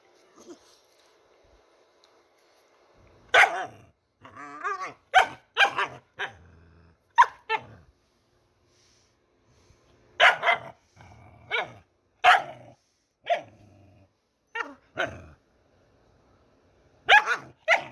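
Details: Pet dog making funny noises: scattered loud, clipped barks arriving in small clusters with pauses between, mixed with short throaty grumbles and yelps, with near silence between outbursts.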